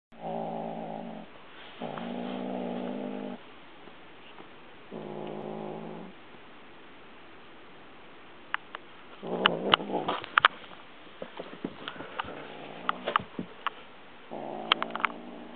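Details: Domestic cat walking around holding a dragonfly teaser toy in its mouth, growling quietly though nobody tries to take it: low, rumbling, harmonic growls lasting one to two seconds, four bouts with pauses, then soft clicks and rustling.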